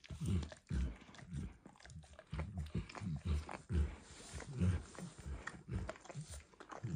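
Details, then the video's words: Max, a dog, enthusiastically licking a bumpy orange food mat; heavy, wet tongue smacks and slurps recurring every half second or so, deep and close, quiet indoor background without speech. "ASMR Dog Licking"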